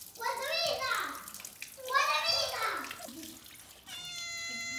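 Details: Brown domestic cat with two loud, rising-then-falling meows in quick succession, followed by a steady, thin whistling tone and running water.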